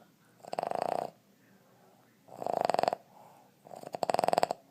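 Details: Dudley, a Boston Terrier aged 2 1/2 from West Chicago, Illinois, snores in his sleep; three rapid rattling bursts like a pecking woodpecker, each about half a second, separated by quiet breathing.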